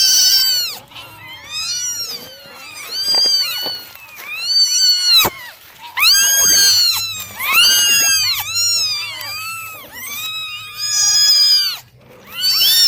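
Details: Morning drying of a litter of kittens brings a steady chorus of shrill, bowed meows, many voices overlapping, with sharp clicks and a low hum underneath.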